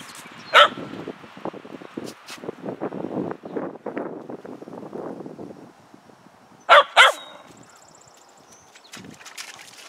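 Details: Puka the dog barking outdoors on a hill: a single sharp bark at the start, then soft rustling and low murmuring, later a quick pair of loud barks in close succession, with faint chirping at the end.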